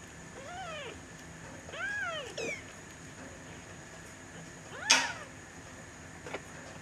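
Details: Three-week-old kittens, Aurora, mewing: three high arching mews with rich harmonics in the first two and a half seconds, a harsher, louder cry near five seconds, then a short click in a quiet room.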